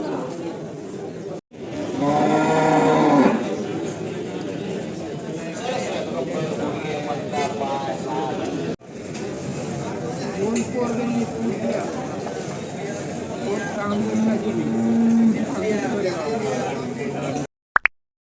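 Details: Bullocks at the Saturday Chakan bullock market on Rohkal Road, Khed, Pune district, 3/8/2025: one loud harmonic bellow early on, then fainter drawn-out moos amid steady crowd chatter and market noise.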